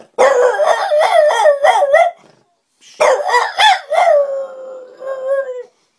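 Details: French Bulldog howling like a wolf in two bursts: first a choppy, yodelling series of quick pitch wobbles, then after a short silence another warbling run that settles into a smooth, slowly falling drawn-out note.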